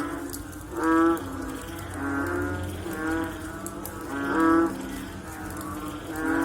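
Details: Frogs calling after rain: low, moaning calls with rich harmonics swell and overlap, with the loudest ones near one second and four and a half seconds, over a steady background hiss.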